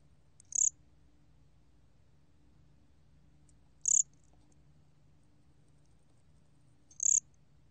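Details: Korean gom-gwitturami cricket, 2020, National Institute of Biological Resources: three isolated high, thin chirps spaced about three seconds apart, each very brief, over a steady low background hum.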